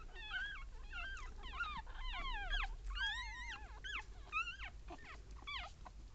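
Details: Papillon mother with her newborn litter of one female and two male puppies, born 16 April 2013; many high, wavering whimpers and squeaks in quick overlapping bursts, rising then falling, nearly continuous over low background rumble.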